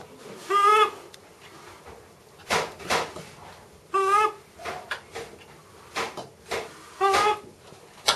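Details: Macaque Miss Anna, at Bear Creek Sanctuary, excitedly watches breakfast preparation, producing three brief quavering harmonic calls spaced about three seconds apart, interspersed with sharp knocks and rustling in a small room.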